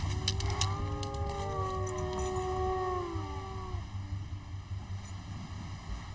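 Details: In a vast forest in Bulgaria's Rhodope Mountains, several long, smooth wolf howls overlap, wavering gently in pitch before fading, over a low rumble of wind as rain approaches.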